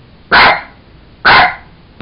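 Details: Playful Jack Russell Terrier with a toy monkey barks twice in quick succession, short loud explosive yaps roughly one second apart, with a faint tap at the end.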